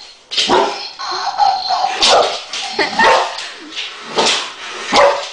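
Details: Boxer dog barking at a Dalek toy: about five sharp, harsh barks spaced roughly a second apart, with whiny tonal yelps between them.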